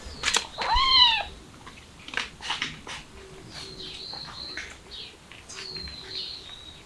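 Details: Cat with kittens, a mother trying to escape through a window with her young: one arched, rising-then-falling mew with clear harmonics near the start, followed by faint thin high tones and light rustling.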